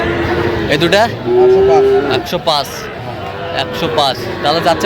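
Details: Sahiwal bull calves at a Bangladeshi cattle market, 27 August 2025, where a Noakhali farmer shops: a steady, sustained moo about a second long, with shorter bawls before and after and people talking nearby.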